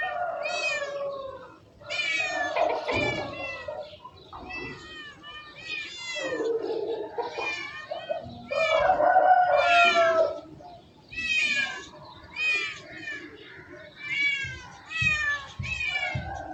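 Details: Domestic cats meowing in rapid succession: many short, high, downward-sliding mews, several per second, mixed with a few longer, lower drawn-out meows, all close and loud.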